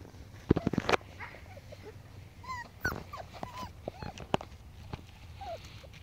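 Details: Playing puppies, five-week-old Pomskies and a five-week-old Husky, give scattered thin whines and brief yips amid thumps, scuffles and low rumbling noise.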